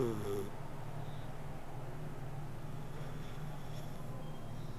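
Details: Sleeping house cat giving a low, even purring rumble that pulses steadily throughout, opening with one brief tonal breath, in a quiet indoor setting.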